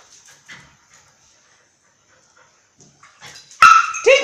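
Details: Mai and Mocca, two dogs playing at Phuket Dog Resort: a near-silent stretch of soft rustles, then a sudden loud, harmonic bark and a second yelp right at the end.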